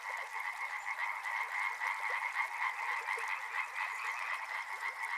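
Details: Frogs calling by a river, a dense chorus of overlapping croaks, steady two-band trilling pulses at a rapid, uneven rate, many callers at once, with no other clear sounds.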